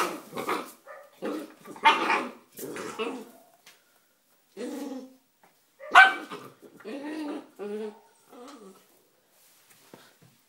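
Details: Three-month-old Bull Terrier puppy Sparky at play with a rock gives a run of short, rough barks and growly yaps in irregular clusters, with a sharp yelp-like bark midway and quieter whiny growls after.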